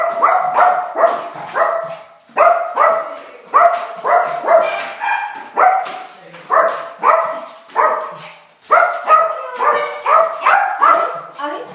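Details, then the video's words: Small dog going wild at a doorbell, barking toward visitors: a rapid, near-continuous string of bright, clipped barks, roughly three per second, with only one brief pause. "Tiny dog goes nuts at doorbell"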